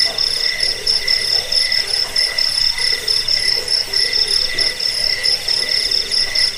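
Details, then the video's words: Cricket chirps from a recording meant to repel rats, aid sleep and train songbirds; shrill pulsed bursts repeat quickly and unevenly against a constant high-pitched buzzing background chorus. "Suara jangkik pengusir tikus pengantar tidur"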